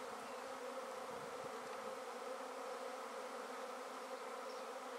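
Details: Swarm of honey bees gathered in a basket after being taken from a tree, giving a dense, continuous humming drone of many wings, rich and unchanging, with faint scattered high buzzes of single bees.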